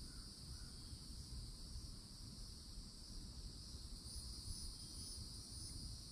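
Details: Cicadas singing in summer at a Florida forest edge beneath old oak trees: steady, shrill, unbroken high drone in two bands, with a low rumble of background noise and a couple of faint bird notes early on.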